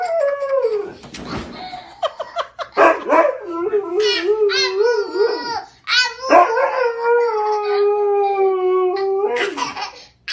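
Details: Indoors, a dog answers a child's howling with wavering, drawn-out howls. Short breaks and broken notes interrupt them, and human voices and laughter blend in between.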